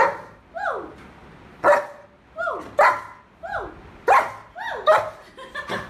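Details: Excited, happy German Shepherd dog spinning on command, giving a run of curved, rising-falling whines alternating with sharp barks, roughly one sound every half second to second.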